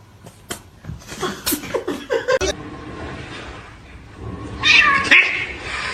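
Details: Domestic cat giving a short, strained, high meow near the end, following scattered human voices, clicks and a soft laugh indoors.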